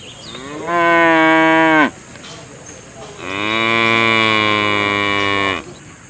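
A cow gives two long, harmonic-rich moos, the second louder and longer than the first.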